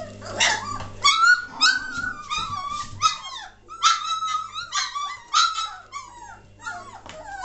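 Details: Three-week-old German Shorthaired Pointer litter, recorded 22 May 2014 as the puppies grow lively and noisy, giving bursts of high squeaky whines and falling yelps, several overlapping, spaced about every half second, over a faint low hum.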